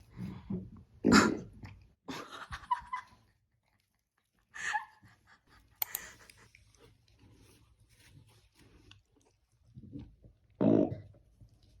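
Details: Welsh Corgi puppy burping indoors in a small room: a string of loud, rough, low burps at about one, two, four-and-a-half and ten-and-a-half seconds, the first and last the strongest, with quiet breathing and small mouth noises in the gaps.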